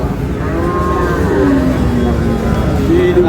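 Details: Sahiwal bull calf at the Ambari cattle market in Dinajpur, Bangladesh, on 10 July as trading opens: a low, drawn-out, steady-toned moo that rises slightly near the end, over constant crowd murmur and market bustle.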